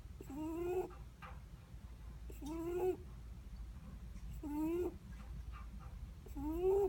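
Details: Sleeping Netherland Dwarf rabbit breathing with a squeaky snore, each breath a short upward-sliding whistle with breathy noise, four in about seven seconds, low hum beneath.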